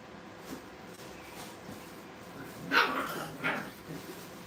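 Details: Brittany puppies during playtime at a kennel: after a quiet stretch, two bright, quick yapping barks follow one another under a second apart against a low hiss.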